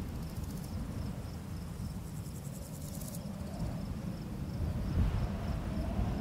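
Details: Night crickets in a barley field under a full summer moon give a faint, even, high pulsed chirping, joined early on by short, rapid, very high buzzy bursts, while strong low wind noise rushes through the grass beneath.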